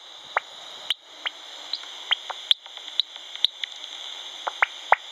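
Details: A bat at de Kleine Staarman, Nieuwlande, in September gives rapid, irregular clicks and short dry chirps over a steady high hiss.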